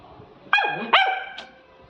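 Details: Labrador Retriever puppy during playtime, two quick high yelping barks about half a second apart, then a faint third yip, while a man tells it to sit.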